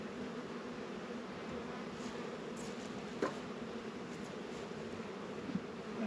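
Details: Honey bees working at an apiary hive on a 72-degree February day in northern Kentucky, Warré and Langstroth hives in winter; a steady, dense droning hum holds throughout, with a couple of faint clicks.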